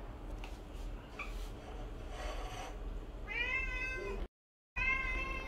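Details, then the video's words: Siamese cats crying loudly for beef indoors: faint short mews at first, then two strong, rich, rising-and-falling meows near the end, separated by a brief cut to silence, over a low room hum. "Cats cry for beef"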